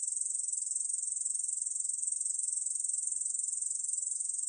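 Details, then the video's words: Korean bush cricket singing, from a 2020 National Institute of Biological Resources recording: an unbroken rapid-pulsed high-pitched buzz holding level from start to end, nothing else audible. "중베짱이, 여러번 듣기, 곤충소리"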